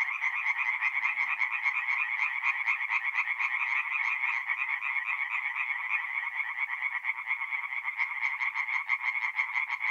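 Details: Nighttime chorus of tree frogs at a forest pond in North-East Italy, mid-April: fast, harsh repeated notes from many frogs blending into one unbroken rattling wall of sound, evenly loud across the whole stretch.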